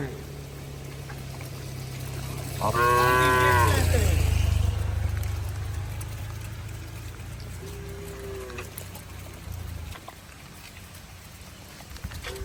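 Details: Herded cattle returning home in heavy rain; one strong arched moo with a deep low hum beneath it, followed by a faint short lowing call, while rain and water sounds continue.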